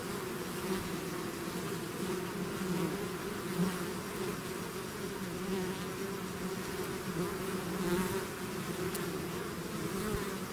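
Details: A bee swarm leaving its hive fills the air with constant buzzing, a thick low hum that gently rises and falls in loudness.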